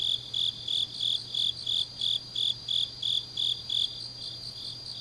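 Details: Deep-night autumn chorus of grass insects from Changnyeong, Korea: evenly spaced chirps about three each second for four seconds, then the lead singer stops, leaving a quieter background trilling.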